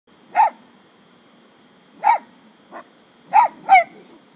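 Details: Two pet dogs barking at a deer eating from a tree in the neighbours' yard: five sharp, bright barks at irregular intervals, the last two quick together, followed by a woman asking whether that is a deer.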